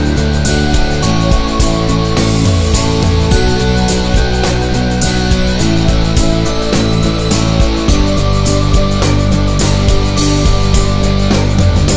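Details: Loud, dense rock music with heavy guitars and drums plays throughout, with no animal voice audible.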